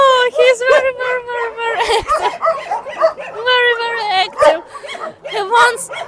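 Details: Shelter dogs call together: a steady run of bright, tonal yelps and whining barks repeated rapidly, several animals overlapping throughout with no pause.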